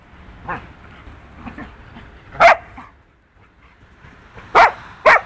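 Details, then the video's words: Rough play between two dogs, Punky, a two-year-old poodle, and a four-month-old wolfdog puppy. Soft, low grumbling noises come first, then three sharp, high barks around 2.5, 4.6 and 5.1 seconds, with quiet gaps between them. "Poodle VS Wolfdog, ruff play."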